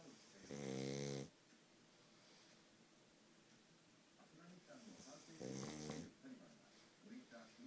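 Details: Futa, a sleeping pug whose flat, noseless face makes its snoring loud: two heavy, rumbling, throaty snores about five seconds apart, each with a hissing rasp on top, separated by quiet, softer breathing indoors.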